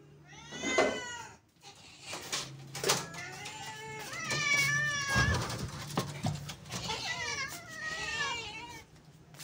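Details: Stray cats being fed, several loud wavering meows, some rising and falling in pitch, repeated across the clip with short gaps, plus faint human voices.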